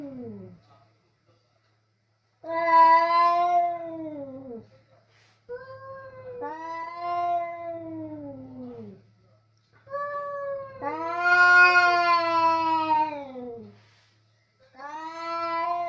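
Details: Two male cats meet over food in a kitchen and start a loud fight; drawn-out yowling wails, rising then falling, in four long bouts of two to three seconds separated by short silences.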